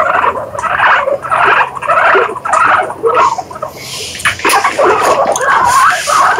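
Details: Guinea pigs give bursts of squeaky chatter in uneven pulses, almost two per second. Brief whistled chirps wobble up and down, and a rustling hiss runs through the second half.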